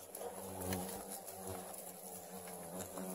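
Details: Asian giant hornets, some 2,300 of them, buzzing while their large 13-kilogram nest is excavated and captured. A continuous, even, low-pitched hum with faint rustling and no clear voices.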